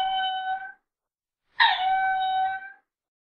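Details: Lemur giving two clear, tonal, drawn-out calls, each steady and slightly falling at the start with rich harmonics: the first lasts under a second, and the second starts with a harsh burst before settling into a long even tone. Silent background.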